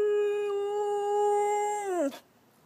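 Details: Chow-Golden Retriever mix rescue dog answering its owner with a sustained, steady-pitched howl lasting about two seconds, ending in a quick downward slide; music plays softly in the background.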